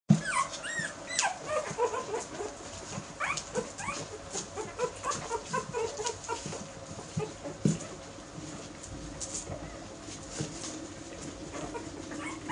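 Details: Airedale Terrier puppies, ten weeks old, from one litter, giving many short, high, rising whimpers and yips that overlap throughout against a steady low hum.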